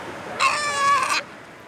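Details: A sea lion pup in a breeding colony, where 400–800 pups are born, calls to find its mother and she answers with a similar call. It is one wavering, bleating call under a second long, much like a goat or lamb, over faint hiss.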